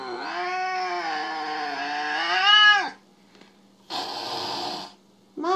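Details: Jealous pet cat Mo howls a loud, sustained yowl for about three seconds, swelling and bending downward at the end. A short burst of noise and the start of another cry follow.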